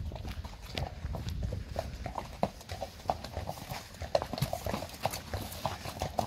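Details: Friesian mares moving in a pasture, their hooves landing in fairly steady clip-clop knocks about twice a second, each with a brief ringing tap, above a low rumbling bed of soft footfalls.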